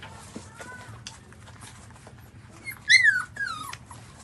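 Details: Newborn puppies nursing from their mother: after soft faint squeaks, one loud shrill whine rises and then slides down, followed by a shorter falling whimper, against a low steady hum.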